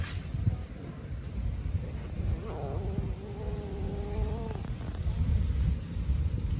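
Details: Hungry kittens crying loudly and chasing each other while eating: one drawn-out, wavering, tonal cry lasting about two seconds, set against a steady low rumble and scattered clatter.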